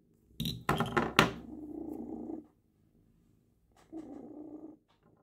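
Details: Cat purring while having her claws trimmed: loud rustling handling noise at first, then two soft rumbling purr stretches separated by a brief silence.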